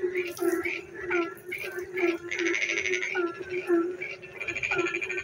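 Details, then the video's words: Frogs singing in the dark of night while it rains, near a village; overlapping croaks and pulsed notes repeat about every half second over a steady low droning tone that runs throughout. "frog singing in the dark night when it rains"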